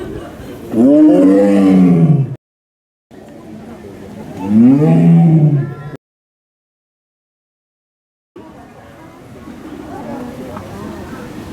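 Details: Captive male Amur tiger at Asahiyama Zoo, Japan, born in the USA in 2009, roaring: two deep, arching bellows about three seconds apart, separated by brief silent cuts, followed by quieter rumbling background noise.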